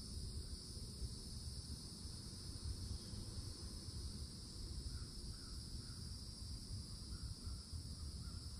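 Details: Loud cicadas at a Florida woodland edge in summer, droning without pause in a shrill double band, while a bird gives short repeated chirps in the second half over a low background rumble.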